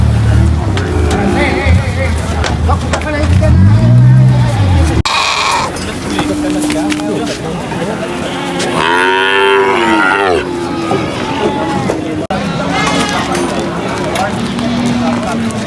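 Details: Cows unloaded from a truck at a market: deep, low rumbling moos in the first seconds, then a louder rising-and-falling moo midway, with people talking throughout and steady background din.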